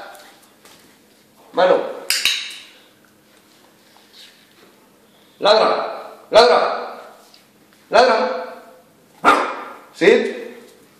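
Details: Jack Russell Terrier during trick training, 180 days along: seven sharp, harmonic barks in pairs and singles, each with a hard onset and quick decay, separated by short pauses, with faint human voice between them.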